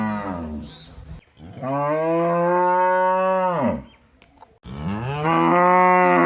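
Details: Village cow lowing: two long, deep, harmonic moos, each held steady for about two seconds before dropping away at the end, with a short lower call at the start and a brief gap of silence between them.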